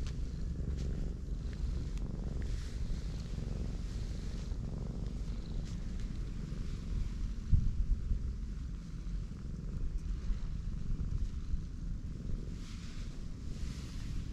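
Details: Pregnant black cat lying belly-up with her large belly being rubbed, purring in a steady, deep, continuous rumble with soft rhythmic pulsing throughout, one brief louder knock midway, faint background hum.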